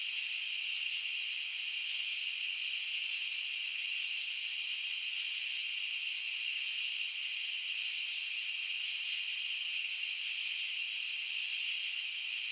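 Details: Many crickets trilling together as one continuous, even, high-pitched drone in layered bands, never pausing, with nothing else audible.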